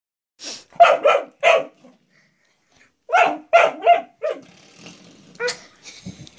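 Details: Male pet dog playing with a newly discovered door stop, which he seems to see as a threat. He gives two quick runs of three or four sharp, loud barks, about a second and a half apart, then softer scattered yips and rustling.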